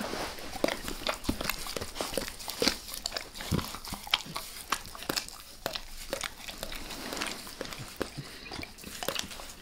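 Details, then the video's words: Close-up of Max, a dog, licking his owner's face: a steady stream of sharp, wet clicks and slurps, several per second, crisp and bright against a quiet background. "Max Licks | Face Part Deux | ASMR DOG LICKING"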